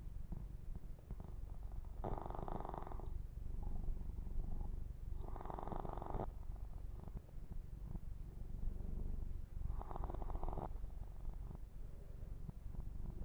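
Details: Male kitten purring steadily while being massaged and groomed; a continuous low vibrating purr, with three bursts of rustling fur-brushing spaced several seconds apart.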